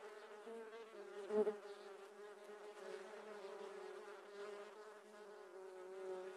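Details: Wild giant honey bees swarming during a honey harvest: a dense, steady droning hum with a low pitched tone and many overtones, holding evenly throughout, with one brief louder rustle or knock near the start.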